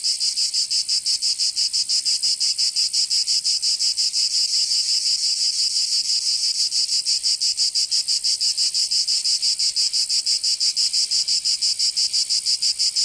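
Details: Cicadas singing in summer in Provence, southern France: a loud, continuous high-pitched buzzing chorus pulsing rapidly about three times per second, steady throughout with no other sounds.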